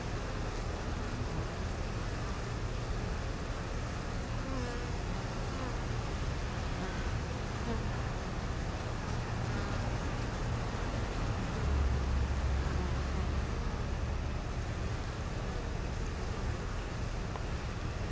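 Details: Bees lined up in a row at the hive entrance, fanning to cool the hive: a dense, continuous low buzzing hum, loud and steady from start to finish.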